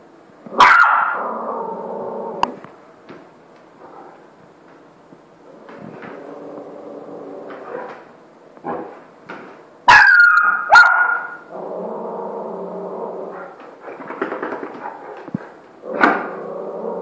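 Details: Maverick, an 85 kg Saint Bernard, trying to get a puppy to play with him indoors: a few loud, deep barks near the start and around ten to eleven seconds, between stretches of low grumbling vocal sounds and quieter moans.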